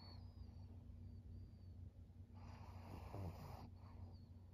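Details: Maria, a thirteen-year-old fawn female pug kept as a pet in Japan, recorded 5 September 2023; a breathy, noisy snort swells for about a second midway, set against a steady low electrical hum and quiet room background.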